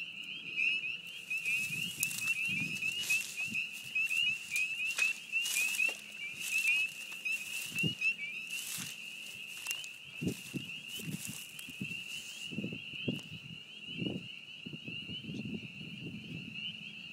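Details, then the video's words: Loud chorus of spring peepers at a beaver pond in spring: a dense, continuous band of high, piping peeps with overlapping callers, broken by scattered clicks and brief rustling thuds. "Frog Song at the Beaver Pond"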